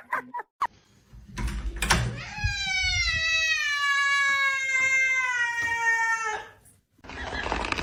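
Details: House cat gives one long, sustained, slightly falling meow lasting about four seconds, rich in overtones. Knocks, rustling and short noises surround it.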